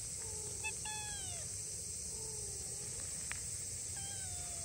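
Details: Stray kitten, two months old, grey tabby with white, stranded by a river in July after its mother and sibling crossed first, calling anxiously: drawn-out, harmonic-rich meows that slide downward, one quick chirp and a later rising-falling mew, with constant high-pitched hiss behind.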